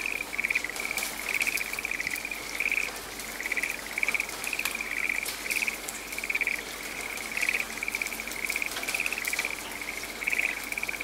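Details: A frog calling in a rainy forest: short pulsed trills near one steady pitch, repeated roughly every half second to second for the whole stretch, over steady patter of falling rain.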